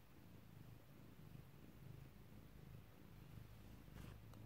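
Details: Domestic cat purring while giving birth indoors: a low, steady rumbling purr that swells and fades in rhythmic pulses throughout, with a short rustle near the end.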